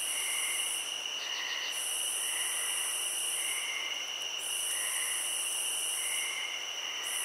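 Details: Steady high cricket trills hold a continuous shrill pitch while a pulsing upper band swells and fades, with mellow rounded notes recurring underneath roughly once a second.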